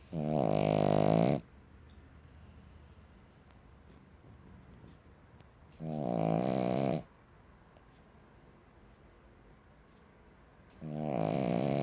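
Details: Cavalier King Charles Spaniel snoring loudly like a chainsaw indoors; long rasping snores of about a second each, separated by quiet pauses of several seconds, three snores heard.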